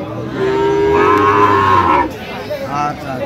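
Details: Sahiwal bull calf in Rangpur, Bangladesh, 5 December 2025, letting out one sustained, steady moo lasting well over a second, then a faint trailing call as people talk nearby.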